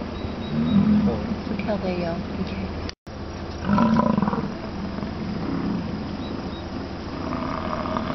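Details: Bison (buffalo) at Wind Cave National Park in late July: two low, growling roars, each lasting roughly a second, with a brief dropout between them and constant low wind or engine-like noise underneath.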